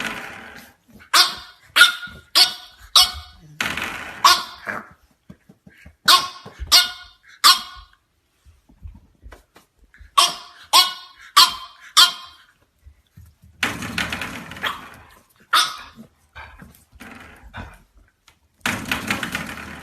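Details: Bursts of shrill puppy barking from French Bulldog puppies, quick runs of four or five barks separated by pauses, with rustling noise and a loud scraping burst near the end.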